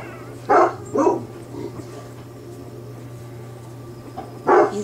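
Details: A newborn Bernese Mountain Dog puppy from Bear's litter, in its first few days, lets out two quick squealing cries, falls quiet for several seconds, then cries once more, with a steady low hum underneath.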